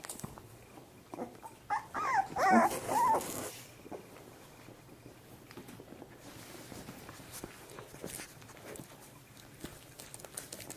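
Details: Corgi puppy, 25 days old, whimpering indoors: a short cluster of high, wavering whines rising and falling for about a second and a half, then quiet room sounds with soft rustles and faint clicks.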